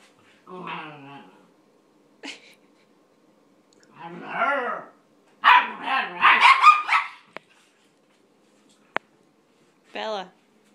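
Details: A nine-week-old German Shepherd puppy tries to play with an eleven-year-old toy poodle who is not impressed. A drawn-out whiny growl and short yaps lead into a rapid run of rough, overlapping barks, then a brief final yelp.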